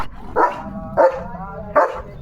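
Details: German Shepherd named Leo, out on a farm at sunset and playing with a balloon, gives three strong, deep barks spaced roughly every half to three-quarters of a second. A low background murmur runs beneath.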